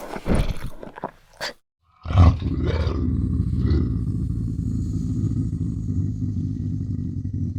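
A Eurasian lynx gives a few harsh, breathy bursts, then a long, deep rumbling growl.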